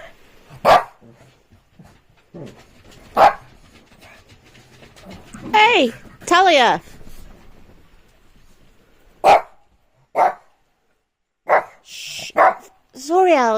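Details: Shih Tzu barking during rainy evening playtime while its owner hushes it and says it need not bark. Short, sharp barks come at irregular intervals, mixed with the owner's voice.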